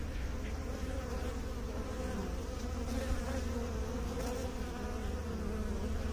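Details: Bees producing a steady, low droning hum with layered harmonic bands, an unbroken buzzing chorus lasting the whole six seconds at an even loudness.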